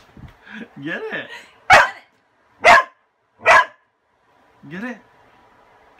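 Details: Dog frightened of a broom yet wanting the toy under it: three loud, abrupt barks about a second apart, preceded and followed by Spanish-speaking voices.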